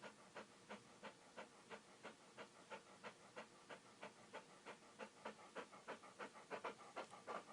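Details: Dog panting in quick, even rhythm, about three breathy huffs per second, each a broad airy burst, steady throughout with a faint hiss between breaths.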